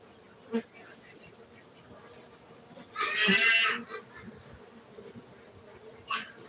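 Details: Farmed honey bees at a beekeeping centre in Gayo, Aceh, Indonesia, give a continuous low hum, interrupted around the middle by a loud hissing burst of noise and a few short knocks.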